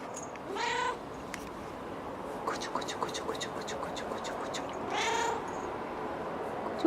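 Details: Domestic cat giving two drawn-out, harmonic meows about four seconds apart, each rising then falling. Soft clicks and tapping noises fill the gap between calls over a steady background hiss.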